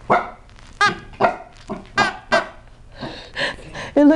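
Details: Rocky, a seven-month-old, 12 lb Chihuahua and Cocker Spaniel mix, barks at his new toy, which scares him, indoors. About nine sharp barks come roughly every half second, the later ones harsher and growly, with a person speaking.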